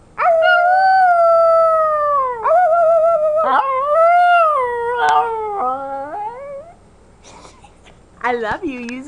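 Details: Nearly 11-month-old female puppy imitating her owner's howl: long, sustained tonal howls that slide slightly downward, broken by brief catches, then a lull before a shorter, wavering rise at the end.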